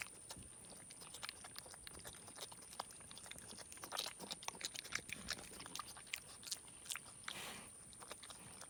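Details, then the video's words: Young male pig, about four and a half to five months old, adopted from beside a road, eating leftover homemade chocolate donut glaze. Wet smacking and crunchy chewing clicks come in quick, irregular bursts over a faint, steady high whine. "Pig makes funny eating sounds"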